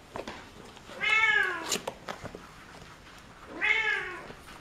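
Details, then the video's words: Two drawn-out kitten meows about two and a half seconds apart, each a rising then falling wail with rich harmonics, against a soft background hiss. "Kittens meow"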